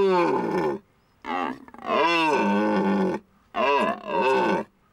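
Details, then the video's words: Red deer during the mating season at the end of September in Hohe Tauern National Park, Austria: loud, deep, harmonic roars in three long bursts separated by short pauses, each arching in pitch, with a quiet rural background. "Red deer rut"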